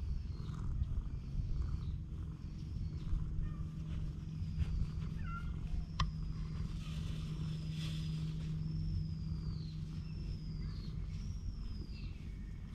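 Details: Cat island stray cat cuddling up and purring, GoPro HERO8 Black recording; a constant low buzzing purr runs under a series of high, arching whistled calls repeated every second or so near the end.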